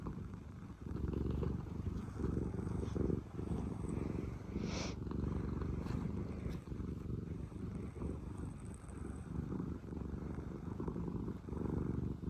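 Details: Blissful house cat, one of two rescued sisters named Pina and Piko, purring loudly in a thick, low, rapidly pulsing drone lasting over twelve seconds, with a faint brief hiss of background noise.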